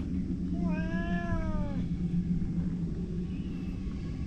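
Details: Outdoor stray cat giving a single long, level, slightly falling meow lasting about a second, with a faint distant meow afterward, over a heavy low rumble.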